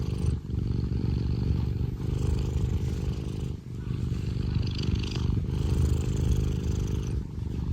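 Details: Purring Scottish Fold cat named Tino, cuddly and contented, producing a deep engine-like rumble with rhythmic breathing breaks about every second or two and faint handling noise.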